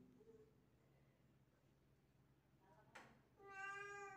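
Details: Miru, a young pet cat, indoors while trying to catch a gecko. Quiet room tone, then a click, then one clear, drawn-out, harmonic-rich meow near the end.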